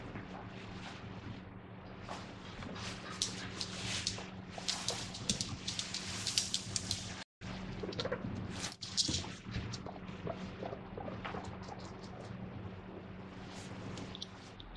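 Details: Pet guinea pig calling "pui pui" while its owner washes dishes indoors: repeated high, squeaky bursts in irregular clusters over a steady low hum, with clatter in the background.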